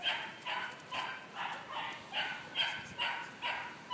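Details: A female Malinois puppy, two and a half months old, barks steadily during bite work training for ring sport. Her high, sharp barks come about every half second in an even rhythm against a quiet background.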